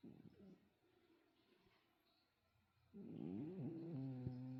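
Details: Callie the cat snoring: near silence for three seconds, then a loud, low, rasping tone with wavering pitch that steadies into a droning hum to the end.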